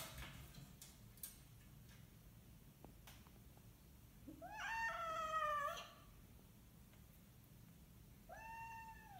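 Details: Domestic cat during a bout of zoomies indoors, giving one drawn-out, strongly harmonic meow that rises then falls over about a second and a half, followed by a shorter arched meow; light thumps and clicks in the room beforehand.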